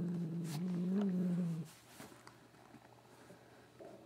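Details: Katherine, a pet cat, vocalising while her ears are rubbed indoors: a low, steady droning moan with slight wavering pitch for about a second and a half, then quiet room noise with faint clicks.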